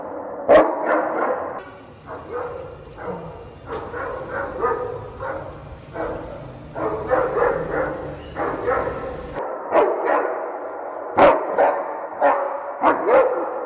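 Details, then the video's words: German Shepherd welcoming its owner home, giving sharp barks at irregular intervals amid continuous excited whining and yelping vocalizations; a steady background hum runs until near the end. "German Shepherd Welcomes His Owner"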